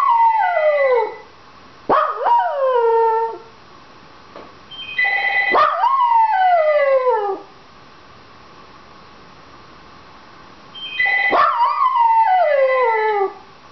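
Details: Pet Dachshund Penny howls at a ringing telephone she wants answered, giving four drawn-out wails that start with a quick upward yip and slide steadily down, separated by pauses, with the phone's bell ringing alongside.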